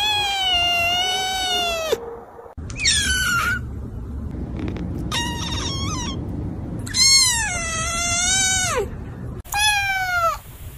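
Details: Kitten meowing in a short series of high, harmonic-rich cries, some gliding downward and one long wavering meow, with brief pauses and a low background rumble between calls.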